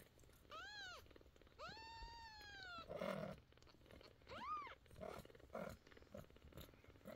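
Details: Upset mother cat crying loudly while two of her 11-day-old kittens have medicine put in their sore eyes. Two long, arching, drawn-out wails, then a shorter rising-falling one, followed by rustling and handling sounds.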